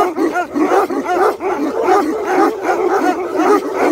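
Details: Tibetan Mastiffs give a busy mix of short yips and barks, many dogs calling at once in quick, irregular bursts with no pauses.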